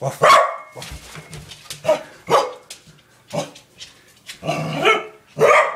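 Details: Nana, a playful pet corgi, gives loud, sharp indoor barks in short bursts spaced about a second apart, with a person's voice between them.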